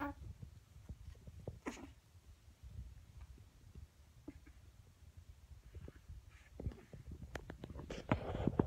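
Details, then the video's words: A sleeping pug puppy with his tongue out snores with low, rumbling breaths broken by soft snorts and snuffles. "The Noises of a Sleeping Pug Puppy with His Tongue Out! :D"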